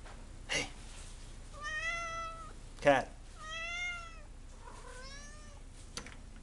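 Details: Angry domestic cat meowing to be let outside, pulling at the door indoors: three drawn-out harmonic meows, each about a second long, with a man talking to the cat in between.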